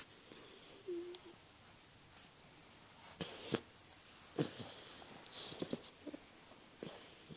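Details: Young English Bulldog puppy snores in a quiet room, each breath a harsh, rattling wheeze in uneven bursts, with short snorts and snuffles between; recorded June 8, 2011.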